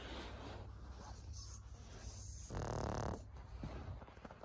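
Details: Senior fawn pug Maria, a 14-year-old female in Japan, recorded 26 May 2024: soft breathing noise, then one brief, low, rattling snore about half a second long.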